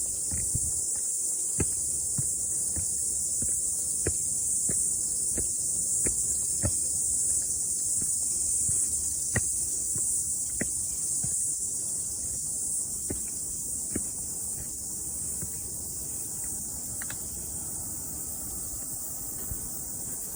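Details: Cicadas after rain on a morning mountain hike, an unbroken high shrill drone dominating, with regular crunching footsteps and small ticks throughout.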